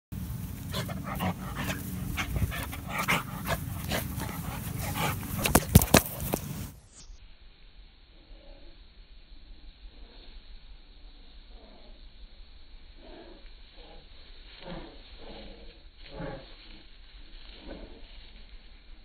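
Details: A Bull Terrier named Alpha gives short, repeated whining grumbles after a burst of loud rushing noise.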